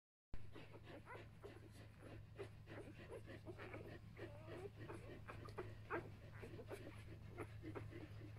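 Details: One-day-old Samoyed puppies of a B litter squeak and whimper together in quick, short, high chirps, many overlapping, with soft rustling and a steady low hum underneath.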